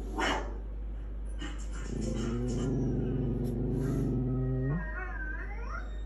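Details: Household dogs howling: one sharp bark, then a low sustained howl lasting nearly three seconds, ending in a few higher, rising whining notes.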